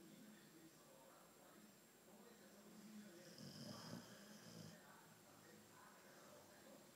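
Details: Albino Boxer named Theo asleep and snoring, one rough drawn-out inhalation rising to a louder peak around the middle, surrounded by quieter breathing, a constant high hum and faint voices in the room.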